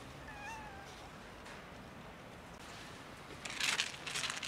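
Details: Cat among many cats waiting near a building for someone to feed and pet them; one short clear meow with rich harmonics early on, then quiet, then a burst of rustling, hissing noise near the end.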